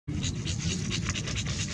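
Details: Dog panting hard: fast, breathy bursts of hiss at about five per second, steady throughout, over a low rumbling hum.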